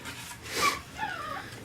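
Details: Imperial Shih Tzu puppies aged six weeks, one giving a brief high whine and then a softer wavering whimper, with low room noise and faint human voices.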